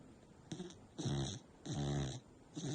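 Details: American Bully dog snoring loudly while asleep indoors; deep rasping breaths, each about half a second long, come roughly every second with quieter gaps between.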